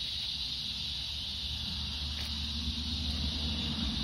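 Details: Cicadas singing on an August 4th summer evening walk in fading light: a dense, continuous buzzy drone high in pitch, steady throughout the short stretch, with a low rumbling background.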